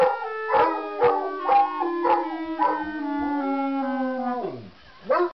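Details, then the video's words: Musical hounds join a clarinet chromatic-scale warm-up. Sustained, quavering howls hold steady pitches beside stepping clarinet tones, then one long howl slides downward and fades near the end. "Howling Dogs"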